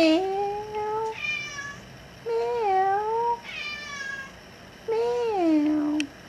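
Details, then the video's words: Female house cat named Furbaby, taken in after being hurt, talks back asking to be let outside: three drawn-out meows roughly every two and a half seconds, each wavering up and down in pitch, indoors with little background noise. "CAT WANTS OUTSIDE TALKING BACK"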